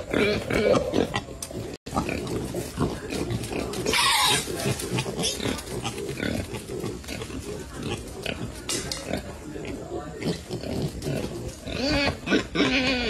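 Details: Striped brown wild boar piglets forage and play beside their mother in a garden where semi-wild boars graze. They grunt in quick, rough, irregular bursts while a person talks alongside.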